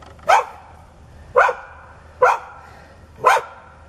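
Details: Four hard, evenly spaced barks, roughly one per second, from a neighbour's aggressive dog that growls, foams at the mouth and charges at a person who turns their back.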